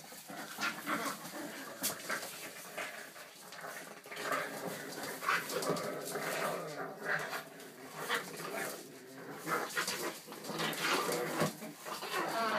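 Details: Young Boston Terriers in rough play, mounting a joint attack: rapid bursts of small growls, whimpers and panting, about four sounds a second, with scrabbling and a human voice at times.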